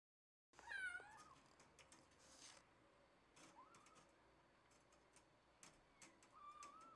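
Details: Cat, held with a clothespin on the scruff of the neck to immobilize it, gives a short harmonic meow near the start, then quieter faint mews amid rustling and clicking handling noises in a small room.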